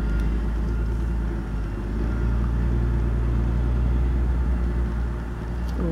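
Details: Steady low rumble of road traffic fills the outdoor scene, with faint speech in the background and no animal voice.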